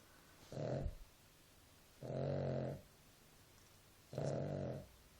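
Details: Three slow, raspy snores from Nela the dog as she sleeps, each lasting about half a second, roughly two seconds apart, with near silence between.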